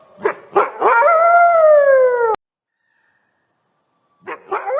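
A wolf gives two short yelps, then a smooth falling howl, with more yips after a pause.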